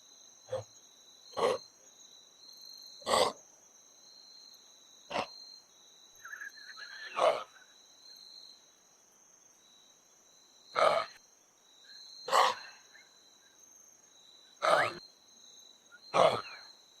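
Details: Kangaroo giving short, breathy, wheezing huffs, nine bursts spread irregularly over about seventeen seconds with gaps of one to four seconds, over a steady faint high-pitched whine throughout.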